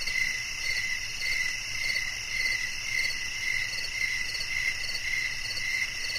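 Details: Cricket chorus from a one-hour relaxing nature soundscape meant to lull listeners to sleep; shrill, even chirps pulse in rapid regular bursts over a soft low background hum.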